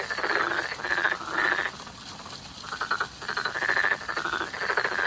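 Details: Frogs croak in spring in rapid, rattling pulses, with bursts of calling broken by a brief lull.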